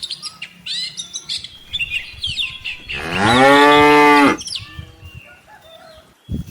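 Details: Tame cattle, cows with calves, grazing in paddy fields and walking home to the farm barn; a single long, steady, rich moo in the middle, surrounded by frequent high bird chirps and twitters.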